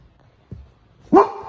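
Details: A young Great Dane puppy gives one short, loud, harmonic bark after a faint low thump, deep and abrupt, barking at Great Danes play fighting on TV.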